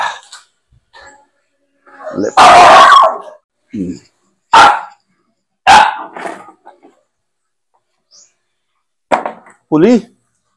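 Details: Pet Aspin, a Philippine native dog, possibly Max or Poly, during a bath-time challenge at home: several loud, sharp single barks spaced about a second apart, mixed with people talking and short whiny vocal sounds.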